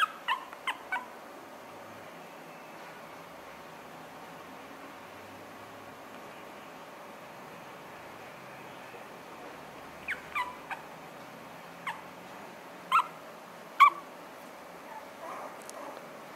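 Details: Two Toy Poodle puppy sisters born on 9 February give short, high squeaks in scattered bursts over a quiet background.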